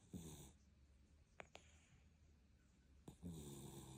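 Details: A sleeping cat snoring. Two drawn-out, rough, low breaths come at the start and end, with quiet low rumbling between them and two brief clicks in the middle.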